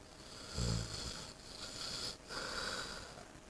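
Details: Saint Bernard, eight months old, deep asleep after returning home from spay surgery; a short snorting snore, then softer wheezy, airy breaths continuing steadily.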